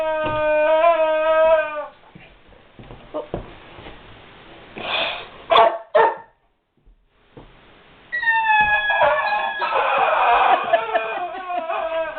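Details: Guard dog whimpers over a puzzling squeaky toy: a wavering high whine opens, then sharp squeaks and a short silence, before a second rising, tremulous whine that falls and continues to the end.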